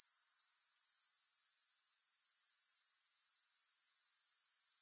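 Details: A steady high-pitched grasshopper chorus of quick, evenly spaced pulses forming a constant sizzling drone, with no music or other sounds.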